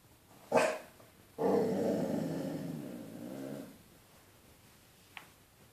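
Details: Ludvig, a Basset Hound indoors, barking at his own reflection in a window: one sharp bark, then a long, deep, wavering bay-like howl lasting about two seconds, and a faint short yelp near the end.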